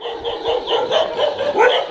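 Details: Dog at behaviour training in Jodhpur gives a rapid, steady run of short, sharp yapping barks, about four each second, evenly spaced across the whole stretch with no speech over them.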